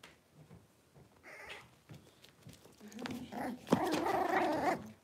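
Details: Cavalier King Charles Spaniel puppies, six weeks old, handled indoors for deworming and nail trimming; soft grumbles build into a loud, sustained harmonic yelping cry near the end, in a small room.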